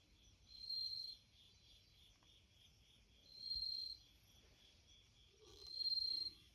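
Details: Bell cricket calling near an entrance screen door: three pure, bell-like trills, each lasting just under a second and arriving about every two and a half seconds, above a continuous faint insect drone.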